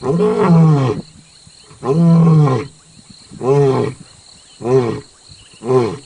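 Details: Lion on safari in South Africa calling close to a jeep, a series of five deep, harmonically rich grunting roars, each about a second long and repeated every one to two seconds, with clear pauses between.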